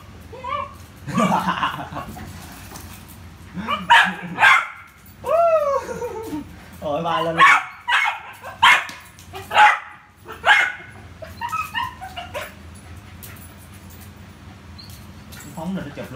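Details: Sharp barks from Rio the Poodle during ball play, scattered through the middle and later part in short uneven runs, mixed with a person's conversational speech and murmurs.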